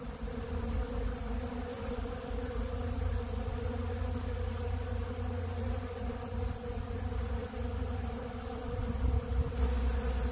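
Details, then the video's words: Many honeybees gather at a large blue feeder of ultra bee pollen, their massed wingbeats forming a constant low hum that swells slightly toward the end. "Therapeutic Treatment Sounds Of The Honeybees"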